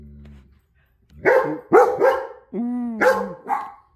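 A German Shepherd gives sharp, yelping barks broken by one brief, sustained howling note.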